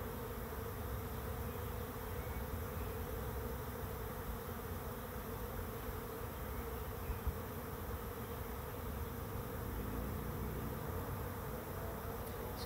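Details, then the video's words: Bees swarming into a swarm trap, the fourth swarm caught and the second for this trap, make a continuous low buzzing drone that holds evenly for the whole stretch, with no other clear sounds. "Bee Swarm Arrives at Swarm Trap"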